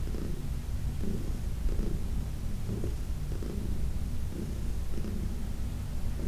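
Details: Massaged by her guardian, 14-year-old rescue cat Heidi gives a low, constant purr, pulsing in soft bursts roughly every half to one second in a quiet room.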